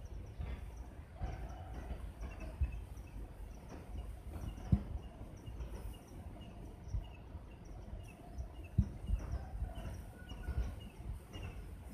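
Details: A steady low rumble of outdoor or vehicle-like noise with a few knocks and clicks, but no clear animal call.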